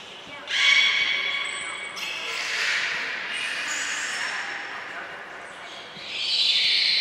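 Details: Belugas Hodoi, Gray, Nana and Niko during a training session at Port of Nagoya Public Aquarium, 5 June 2021. Loud, harmonic-rich squealing calls come in three bursts, the middle one broad and hoarse, with echoing indoor pool noise and a brief high thin whistle tone.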